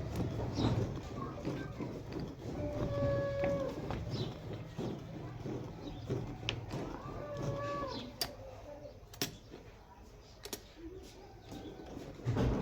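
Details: Jersey-Friesian cross cow, offered for sale in Pakistan, 19 February 2025, giving a couple of drawn-out tonal moos, steady then slightly bending, among sharp knocks and clicks over a noisy farm background.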